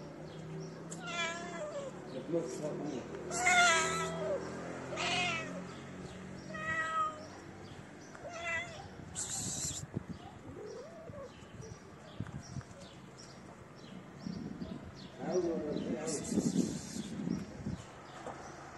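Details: Feral street cats, one shy female that came to sniff the camera and her companion, meowing repeatedly: a series of rising-falling harmonic meows spaced a second or two apart, a later pair near the end, soft background noise and brief human voice.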